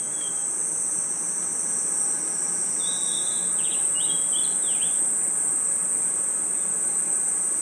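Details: Under a forest night sky, crickets and insects hold a steady piercing trill, while a short burst of warbled, zigzagging notes rises and falls between about three and five seconds.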